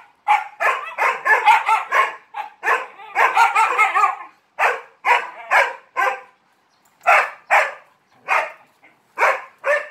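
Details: Dog barking for attention while playing with three Malinois, rapid overlapping barks in dense bursts, then evenly spaced loud single barks roughly twice a second, short pauses between groups.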